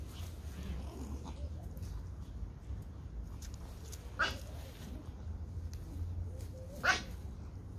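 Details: Toy Pomeranian puppies at play outdoors in a garden: two sharp, bright yaps roughly three seconds apart, with faint softer sounds between them and a constant low hum in the background.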